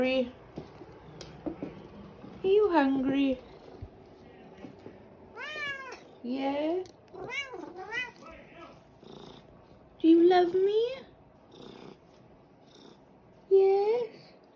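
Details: A pure white, fluffy, fat pet cat, very vocal, demands breakfast from his owner indoors; a series of rising-falling harmonic meows at irregular intervals, interspersed with a woman's coaxing speech asking if he is hungry.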